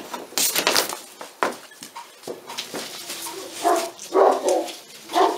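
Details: Litter A6 of Pyrenean Mountain Dog puppies, 46 days old, at La Borda d'Urtx in the Cerdanya, Catalan Pyrenees. Scraping and rustling noise comes first, then several sharp, high yelps cluster toward the end.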